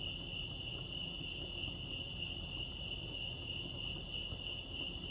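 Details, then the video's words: Crickets chirping at Lake Arrowhead, California: a steady, high, continuous trill holding one pitch, with soft low background rumble beneath. "Serenity sounds crickets chirping lake arrowhead"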